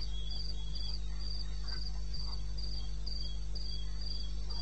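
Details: Night chorus of crickets in wild eastern Botswana, recorded about 2:30 AM in May: bright high chirps pulsing at a regular beat, roughly four each second, over a weaker lower chirper and steady low-pitched background hum.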